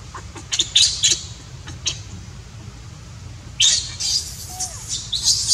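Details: Baby monkey crying while its mother refuses to care for it; shrill, harsh high-pitched squeals come in short bursts early on, then a longer louder run of screeches near the end, over a low rumbling background.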